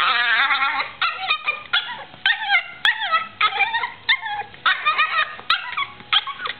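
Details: Female Yorkshire terrier vocalising during play with her owner, giving quick, bending yelps and squeaky whines in short bursts roughly every half second, each wavering up and down in pitch.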